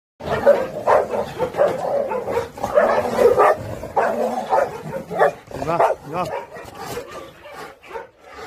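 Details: Pungsan dogs in a Pungsan kennel during the introduction of a dog from outside, a sudden rank-order fight involving the ten-year-old leader dog: harsh barks, snarls and whining yelps, roughly once per second, close and loud.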